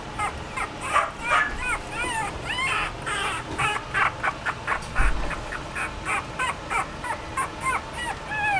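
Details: Chihuahua producing a long run of squeaky, arching whines and yelps, rising then falling in pitch, repeated in rapid bursts with brief gaps, one low thump midway, faint hiss behind.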